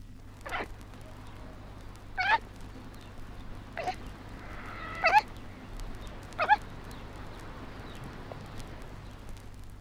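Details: A baby koala about six months old gives short, squeaky, wavering cries, about five spaced through ten seconds, each rising and breaking, over a steady low hum.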